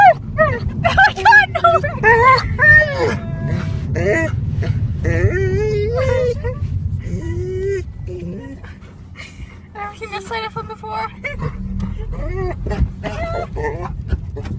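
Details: Crying dog in a car: rapid, irregular high whines and yips, wavering up and down in pitch, busy at first and then quieter and sparser, against a steady low vehicle hum.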